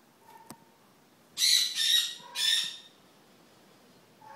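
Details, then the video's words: Marmoset, a mother with two babies: three harsh, raspy, high-pitched calls in quick succession around the middle, after a brief faint whistle near the start, with a quiet background. "Marmoset and 2 babies"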